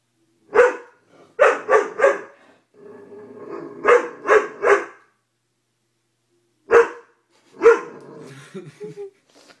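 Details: Doberman dog from a funny compilation, giving loud, sharp barks in quick bursts of three, a pause, then two more spaced single barks, with a low growly rumble between bursts indoors.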